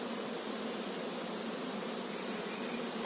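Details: Honey bees swarming over a managed hive during beekeeping, where the queen bee is being looked for: a dense, steady droning buzz of many bees, unbroken and even in loudness throughout, with no other clear sounds.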